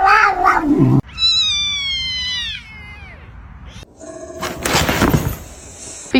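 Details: Domestic cat giving one drawn-out, harmonic meow that slides downward at its end. Before it there is a brief burst of mixed sound, and after it come noisy thumps and rustling.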